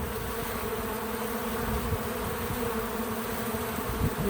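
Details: Bees at a feeder make a steady, rough low buzz with small fluctuations in loudness and a few brief brighter hum notes near the end.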